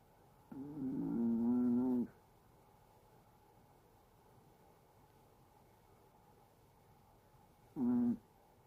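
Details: Snoring Chihuahua during sleep: a wavering, whistled tone lasting about a second and a half, then silence, then a short matching tone some six seconds later, nothing else audible.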